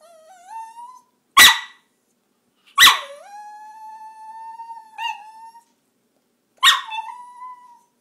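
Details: Pet dog indoors "talking" and whining to its owner: rising whines alternating with loud abrupt barks, each bark trailing into a sustained wavering whine, about four barks across the stretch.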